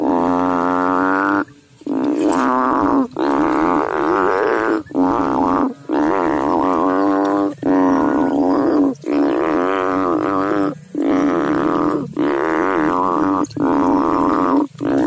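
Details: Continuous chorus of low, vibrating frog calls from the water, long resonant drones repeated with only short breaks between them, steady and loud throughout.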